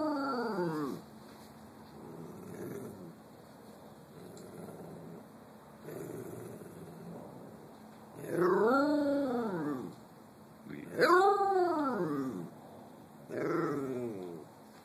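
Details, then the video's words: Singing pet cockapoo, a Cocker Spaniel and Poodle mix called Nina Simone. She gives a series of short arched howls every few seconds, each rising then dropping. Quieter whining fills the gaps. "Nina Simone, the howling cockapoo"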